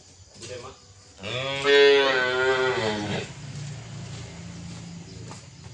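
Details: Dwarf calf giving one loud, drawn-out moo of about two seconds, strongly harmonic and slightly wavering before fading, with quiet rustling and a soft human voice around it.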